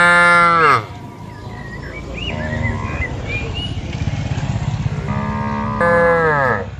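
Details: Tame herded cattle in a large open field call the herd with a loud moo: a strong, downward-sliding moo opens the clip, quieter lowing follows mid-way, and a long swelling moo closes it.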